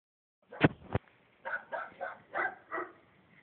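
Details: Neighbours' bulldog that barks for hours whenever people are outside: two sharp thuds, then a run of five hoarse barks spaced roughly every third of a second.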